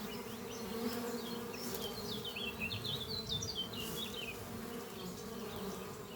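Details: Honey bees buzzing at their hive beneath trees on a spring morning, foragers carrying pollen; a continuous low hum underlies a lively run of rapid high chirping bird song through the middle seconds.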